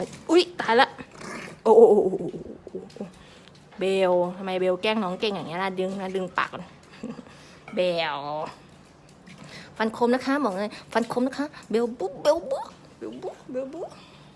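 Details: Pembroke Welsh Corgi puppies, a small group at a kennel farm in Om Noi, Samut Sakhon, Thailand, giving wavering, high whining whimpers and short yelps that rise and fall, with bursts of growly sounds, indoors amid other voices.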